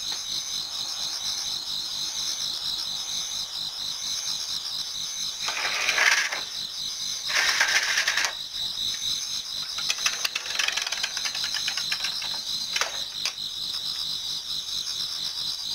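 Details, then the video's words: Many autumn insects singing in a Japanese garden towards dawn: a steady high shimmering trill chorus, broken by several loud short rustling, clattering bursts around the middle and end. "Autumn Insects voice Towards dawn"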